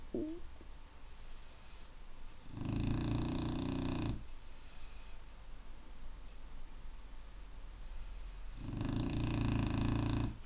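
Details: Clumber Spaniel snoring indoors: two long, rumbling, rasping snores, each about one and a half seconds, separated by roughly four seconds of quiet breathing, with a faint steady hum in the background.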